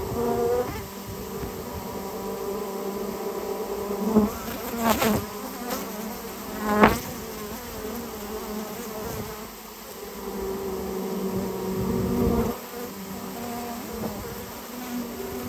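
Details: Swarm of Japanese honey bees being cleared from their nest in a storehouse, humming continuously; the drone swells and fades, with several sharp knocks and clatters of the removal work around the middle.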